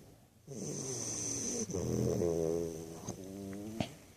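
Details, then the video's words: Snoring from a sleeping American Bulldog puppy: a soft start, then a long vibrating, nasal rasp with stacked wavering tones, ending in a few small snorts and clicks, steady whine behind. "American bulldog puppy snoring"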